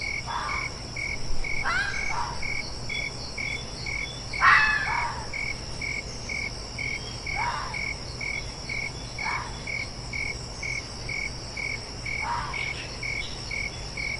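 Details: A fox calls in a loose series of six short, raspy barks at irregular gaps, one much louder near the middle. A constant, evenly pulsed cricket chirp runs underneath.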